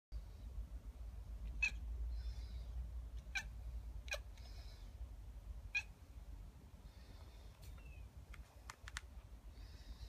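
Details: Lucky, a pet kitten, chirping at seagulls: short sharp chirps spaced a second or two apart, with faint softer calls between and a low steady hum underneath.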